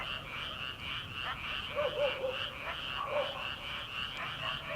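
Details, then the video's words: Paddy-field frogs in early summer, before rice planting: a continuous high pulsing trill chorus with several lower, nasal croaks standing out in between. "초 여름 개구리 울음소리/ 논에서 들리는 개구리 소리"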